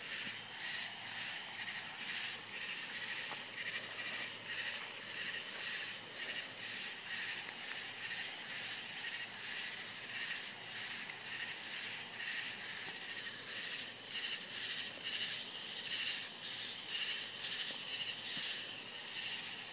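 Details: Crickets in the Florida countryside at night: a constant high, ringing trill, layered with quick, rhythmic pulsed chirps from many callers, about two pulses each second.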